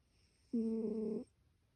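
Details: Domestic cat snoring: a single breath drawn out for about 0.7 seconds, a low harmonic rasping tone in an otherwise quiet room.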